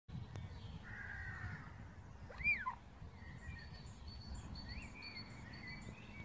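A cheetah gives one sharp, high, bird-like chirp that rises and falls quickly.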